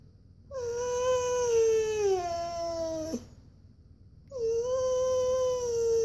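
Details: Whining male Siberian husky indoors, pleading for a walk; a long whine sliding downward in two steps, followed after a pause by another sustained, level whine.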